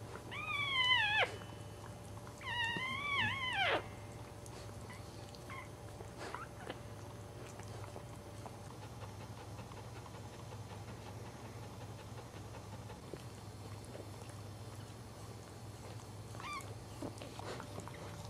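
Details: A newborn Cairn Terrier puppy, the third of the litter being delivered, gives two thin, high, wavering squeals, then falls nearly quiet.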